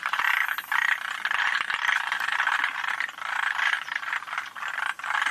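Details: Forest green tree frogs recorded at Yoshitani, June 2025, giving steady rattling, chattering croaks in rapid pulsed runs that follow one another almost without pause, with a few brief clicks between them.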